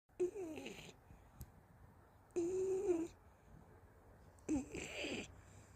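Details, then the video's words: Golden Retriever Anggeum snoring while asleep indoors in someone's arms, tired after a walk: three drawn-out nasal bursts about two seconds apart, each with a wavering mid-pitched whine over breathy hiss, in a quiet small room. "골드리트리버 앙금 산책 후 잠자면서 코골이"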